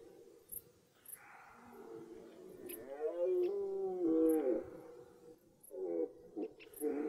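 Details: Red deer roaring at the beginning of the rut in woodland: a long, arching groan that swells then drops over about a second and a half, followed by shorter rough bursts, with scattered faint ticks.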